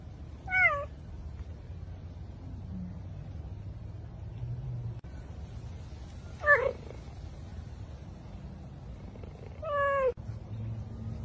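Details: Cheetah meowing: three short, high, down-slurred meows, each under a second, near the start, middle and end, separated by long quiet gaps over a low steady hum.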